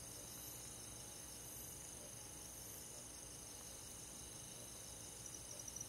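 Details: Rural summer-night insect chorus led by crickets, a bright high shimmer of continuous trilling with small pulsed chirps, even in loudness, a few soft ticks near the end.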